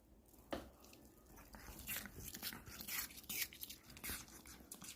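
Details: Pomeranian eating an apple, with sharp crunchy bites and wet chewing in quick irregular bursts, one loud snap near the start, in a quiet small room with faint murmuring.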